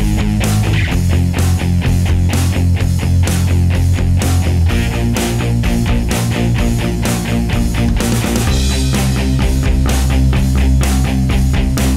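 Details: Loud heavy metal with distorted guitars and pounding drums fills the whole stretch, with no animal voice heard.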